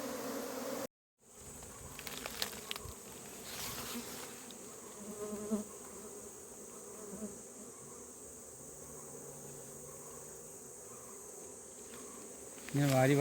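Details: Honey bees in a second hive box, their combs already built, being scooped in by hand: a low, steady droning hum with faint tonal bands, occasional soft knocks and handling noises, and a short silent gap near the start.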